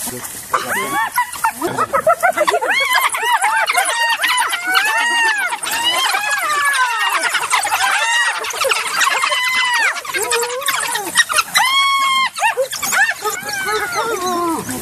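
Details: African wild dogs calling together: a dense chorus of overlapping high, squeaky chirps and twitters, each call arching up and falling back, pouring out almost without pause over fifteen seconds.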